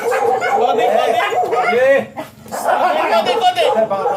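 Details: Siberian Husky whining at a stud session where both dam and sire are first-timers: wobbling, sliding tones, one rising squeal, a short break, then more warbling.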